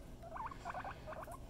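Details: Pet guinea pig making a quick run of short, bright squeaky chirps that wobble up and down, bunched in three little bursts over a low indoor hum.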